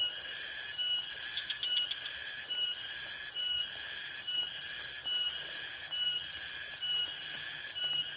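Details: A dense, continuous chorus of nocturnal rice-field insects at night, heard from a hut in a rice field: shrill and high-pitched, pulsing in regular bursts about once a second.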